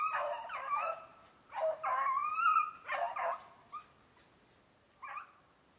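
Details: Beagle chasing snowshoe hare during summer conditioning in Maine, 14 July 2019. A run of hoarse bays, some stretched and wavering, others clipped, comes in uneven bursts and fades to a couple of short yelps.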